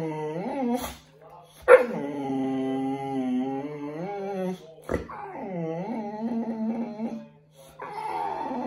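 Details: Boxer dog named Bear being bathed and groomed indoors whimpers in sustained, wavering whines that bend up and down, with brief gaps and sharp knocks between phrases, over a constant low background hum.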